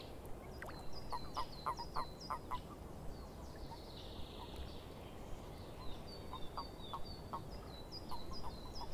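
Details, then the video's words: Frogs calling in a swamp: bursts of short, clicking croaks repeated in quick series, with high, falling chirps overlapping above them and a steady hiss of background noise. "Frogs In The Swamp"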